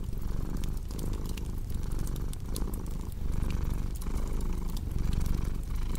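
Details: Soft, steady rumble of a purring cat, breath-timed swells close together, accompanied by light crackling from a fireplace in a calm relaxation mix.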